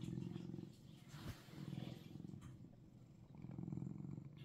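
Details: Russian Blue cat, Seoul, Korea, giving a continuous low vibrating purr that swells and fades in three waves, with a sharp tap near the start and soft handling noise.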